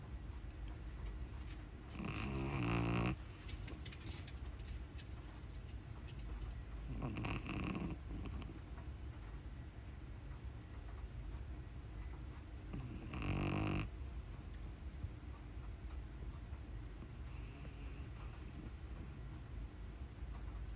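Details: Pug puppy asleep indoors, snoring: steady low rumbling breath with louder snorting surges roughly every five seconds.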